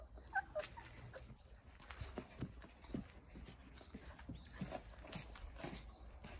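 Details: Jindo puppies, nine of them, sunning in a big front-yard playpen. Brief squeaky whimpers open the passage, followed by scattered scratching, rustling and light thumps over a quiet low hum.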